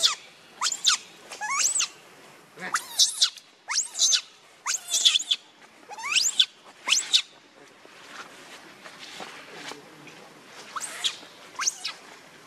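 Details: Angry monkey Rainbow defends Lucie against Kachoy. A fast volley of piercing, rising-then-falling shrieks fills the first seven seconds, then fainter squeals and two more shrill cries near the end.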